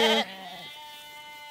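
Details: A Zwartbles lamb with its head stuck in a fence on a farm in County Kilkenny, Ireland, gives a short, loud, nasal distress bleat, calling for help while trapped.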